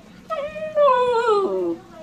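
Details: Natsu, a pet dog, gives a short harmonic howl-whine indoors, starting mid-pitched, rising briefly then sliding steadily downward over about one and a half seconds, with faint room noise behind.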